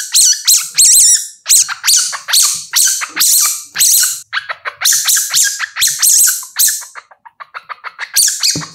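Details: Young civet calling continuously in rapid squeaky, wavering cries, loud at first, then breaking into quicker, shorter chirping notes toward the end; clean recording with nothing else audible.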